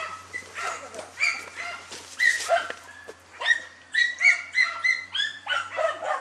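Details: Female German Hunting Terrier facing a wild boar, giving rapid high yapping barks, irregular at first then in quick bursts of two or three, about three or four a second.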